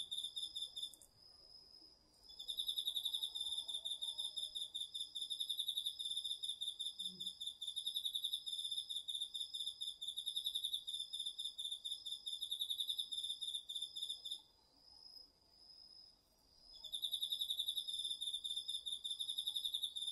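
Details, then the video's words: Autumn insect chorus with crickets in a home garden plot at night, recorded with a DR-40X: long stretches of rapid high pulsed chirping broken by short pauses, a constant thin whine beneath, and one faint low knock midway. "秋の虫の声 ASMRでおやすみなさい 〜虫の音を枕元で聞いてね〜 こおろぎ他"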